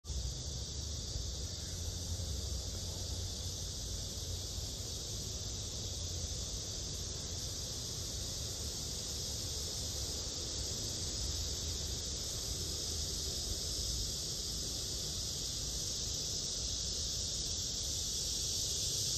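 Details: Black cicada, from an observation of male and female specimens: a steady, even hissing drone runs throughout, set against low rumbling background noise.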